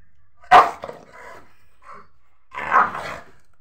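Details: Rottweiler puppy giving two short, rough barks, one sharp bark near the start and a broader, softer one about two seconds later, with quiet room background between.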